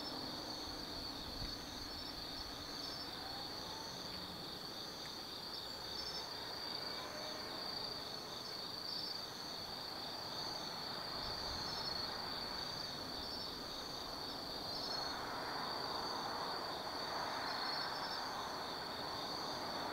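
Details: Night chorus of autumn forest insects at Tsukimi no Mori, Nanno, Kaizu, Gifu, Japan, 180 m above the Nobi Plain: an unbroken high ringing drone plus rapid regular chirps about four per second, a soft broadband rush swelling near the end.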